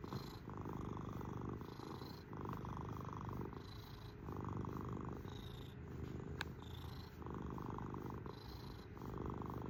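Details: Close-up purring of a house cat: an unbroken low throbbing rumble in regular breath cycles of roughly one to two seconds, with a single faint click midway.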